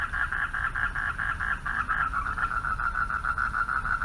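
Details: Night chorus of male frogs at a pond calling for mates. Quick rhythmic pulses run without pause, slightly louder at the start, against a faint low hum.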